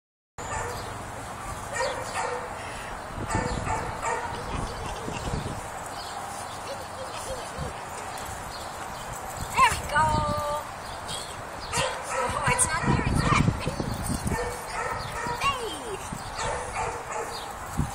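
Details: A two-year-old neutered rough-coated Jack Russell Terrier at play, tugging: irregular bursts of gruff, growly barking and yips, overlapped by people talking, with a brief high squeak near the middle.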